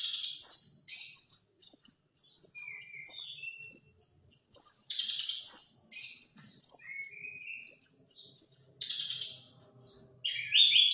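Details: Sustained, varied song of an orange-headed thrush: fast high twittering runs, trills and sharp whistled notes, with occasional lower whistles, pausing briefly near the end before resuming.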